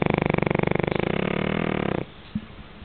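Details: Pekingese dog snoring in its sleep, a dense, fast-pulsing rattling buzz that stops abruptly at two seconds, followed by near silence and a soft faint knock.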